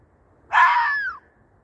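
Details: A fox, apparently calling for a mate in the middle of the night, gives a single harsh, wavering howl that trails downward at the end.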